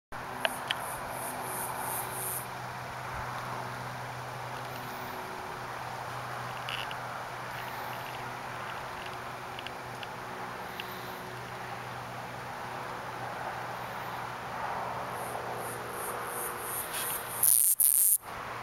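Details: Male broad-winged bush katydid in the Oldman River valley, Lethbridge, Alberta, giving an atypical call, apparently answering another male's advertisement song and timing his song for a female's reply. A short run of high, dry ticks opens; a loud burst of clicks comes near the end, over steady low hum and background noise.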